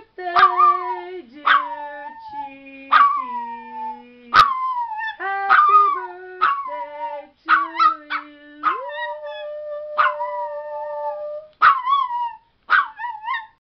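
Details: Teacup chihuahua howling excitedly along as people sing Happy Birthday. Series of loud high yowling howls, each starting sharp then sliding down and trailing off, about every one to two seconds, some notes held longer.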